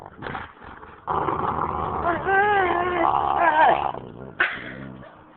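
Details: Playful husky and boxer pestering each other during play, the boxer wanting to sleep on a lap; sustained moaning growl with wavering, whine-like pitch bends for several seconds, then a sharp short yelp, a person speaking alongside.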